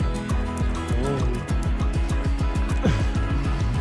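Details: Upbeat music with a steady thumping beat and plucked guitar plays throughout, with no animal voice standing out.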